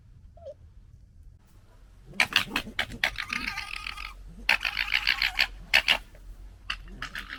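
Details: Fighting red fox cubs of the 2021 litter: harsh, raspy gekkering bursts, loud and rapid, in chattering runs separated by short pauses, after a brief quiet squeak.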